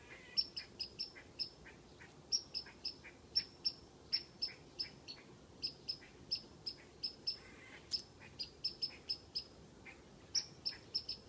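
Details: Squirrel whistling from a tree at a cat: bright, piercing chirps delivered in brisk groups of two to four, separated by brief pauses, over a quiet low hum.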